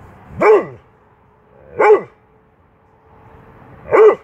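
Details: Dobermann barking three times at uneven gaps of about one and a half to two seconds; each bark is short and forceful, with a faint hum between them.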